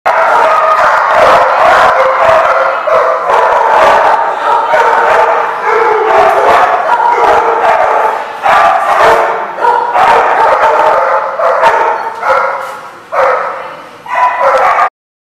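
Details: Dogs barking at The Barking Lot on 14 February 2014: a loud, dense din of overlapping barks with almost no gaps, many voices jumbled together across the whole stretch and only brief dips in volume near the end.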